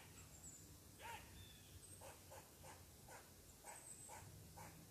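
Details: Squirrel barking in annoyance at a person sitting on its tree: one louder raspy bark followed by a quick series of softer chuffs about every half second, with thin high bird whistles nearby.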